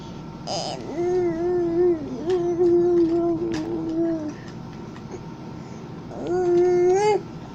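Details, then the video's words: Domestic cat making noises while napping: three drawn-out, steady, soft murmuring mews, each lasting about a second or more, separated by quiet pauses in a small indoor room. "Cat nap 10-19-2020...such cute noises"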